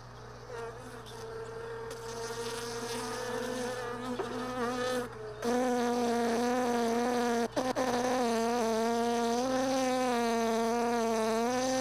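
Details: Honey bees lingering in hive boxes left all day in a truck bed, recorded early morning while sorting frames from extracted supers; a close, loud droning buzz with wavering pitch that swells and dips as bees fly near, steady low hum beneath.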